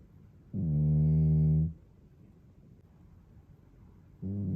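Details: Deep, steady, humming snore from a male British Shorthair cat of the pair Toby and Fuku, recorded 17 July 2022 on an iPhone 13; one long low breath of about a second, a quiet gap, then another breath beginning.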